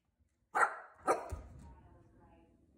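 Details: Bossy Corgi confronting a Swiffer, giving two sharp barks about half a second apart, followed by a thud and fading room noise.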